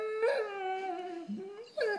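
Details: Puppy whining to demand attention when ignored, indoors: a drawn-out high nasal whine sliding slowly downward, a brief lower dip, then a sharp rising yelp at the end.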